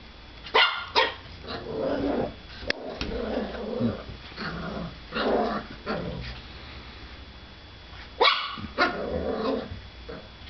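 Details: Lucy, a pet puppy, barks at her own reflection in a mirror: short sharp yips and low growly barks in uneven bursts, with indoor room noise.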